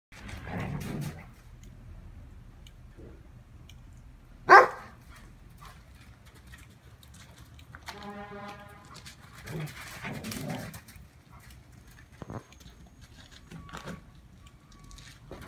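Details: Two poodles playing cheerfully in the first snow, one wearing a protective collar; a few short, rough barks spaced through the recording, one drawn-out whining yelp in the middle, and a sharp knock between them.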